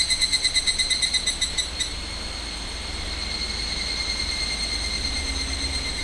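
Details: Higurashi cicadas in a loud summer chorus, August 2011, near the boundary of the restricted zone in Minamisoma, Fukushima; rapid pulsed high trill for about two seconds, then a steady ringing drone of overlapping callers.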